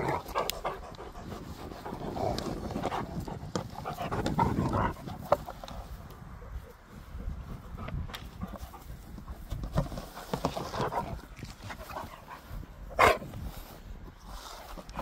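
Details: Pet dog recorded close up while eating and playing, giving rapid breathy panting in uneven bursts with soft grunts and occasional sharp clicks and knocks.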